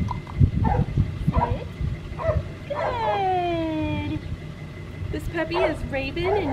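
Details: Female red merle Australian Shepherd pup, seven weeks old and weighing 9 pounds, scratching at an unfamiliar collar. After some low clatter comes one long, drawn-out whine that slowly descends, followed by short, thin squeaky whimpers.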